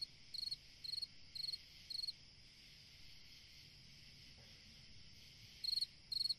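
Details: On a summer night a cricket gives four evenly spaced, pulsed, high-pitched chirps, falls silent for over three seconds under a steady insect hum, then resumes with two more chirps.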